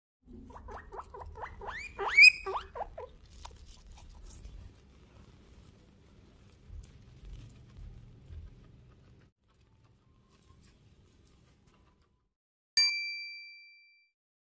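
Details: Guinea pig giving a short little wheek: a burst of high, rising squeaky notes around two seconds in, followed by soft shuffling and patter sounds, then quiet with a brief sharp tone near the end.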